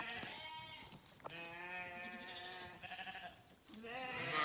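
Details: Grazing sheep on a farm call in long quavering bleats, one drawn out over more than a second, others overlapping, with faint rustling beneath.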